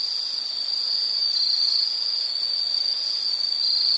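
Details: Steady, unbroken, shrill insect trill at high pitch, part of a soothing nature-sound recording, slightly wavering in tone with no other animals or voices.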